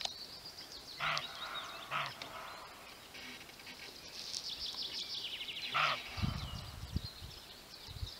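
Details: Male roe deer barking three times, with two quick harsh barks close together, then a third after a pause of several seconds. Songbirds chirp and trill throughout, with some low rustling near the end.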